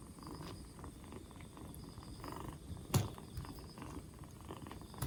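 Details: Rescued two-month-old black Bombay kitten, four days after rescue and regaining energy as its cold clears, purring in a continuous deep rumble; one sharp knock near the middle and a softer bump at the end.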